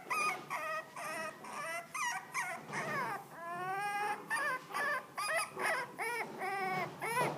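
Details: Black and tan Miniature Dachshund whimpering and whining in a rapid series of short, high, wavering cries, some rising and falling, about two per second, with a few longer drawn-out whines between.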